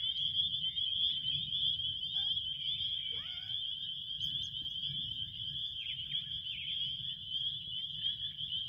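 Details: Relaxing cricket chorus: a continuous shrill, pulsing trill holds steady throughout. A few brief falling squeaky notes cut in midway, over a faint low background hum.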